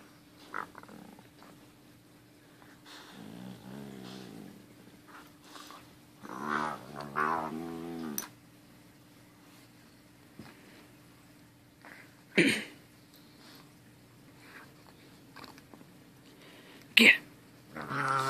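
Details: Lucky, a dog, playing with his little brother while too tired to leave the chair; low harmonic growling grumbles in bursts around four and seven seconds, with sharp thumps and rustles between and a steady hum underneath.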